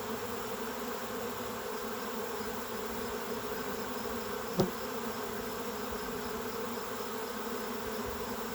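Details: A swarm of western honey bees that has just left a hive, settling in a tree while seeking the queen, fills the air with a steady, dense, low hum of countless wings.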